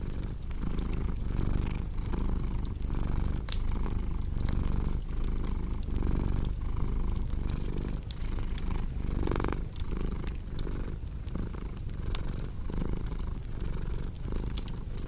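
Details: A pet cat purrs beside a cozy crackling fire: a steady low vibrating drone rising and falling with each breath, punctuated by frequent bright clicks and pops from the burning wood.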